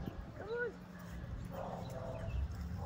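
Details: German Shepherd during training, wanting to do his own thing, gives one brief high whine that rises and falls. Low rumbling background noise follows.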